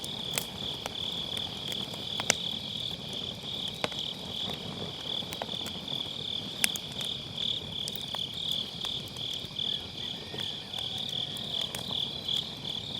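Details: Grass insects calling on an autumn night, Sennheiser MKE600 microphone with low cut, by a round fire pit: an unbroken high-pitched buzzing trill fills the background, dotted with scattered log crackles and soft fire hiss.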